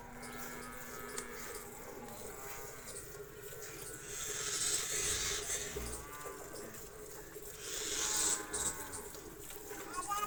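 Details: Cholistani Jersey cross cow offered for sale, giving a drawn-out lowing moo with stacked harmonics in the middle and again near the end, over steady background hiss and a faint low hum at the start.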